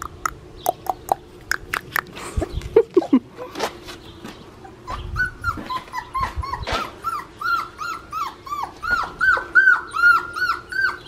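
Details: Blue merle male Australian Shepherd puppy at an Oklahoma breeding farm, whining in a steady series of short high whimpers about two to three per second, after some clattering and handling noises.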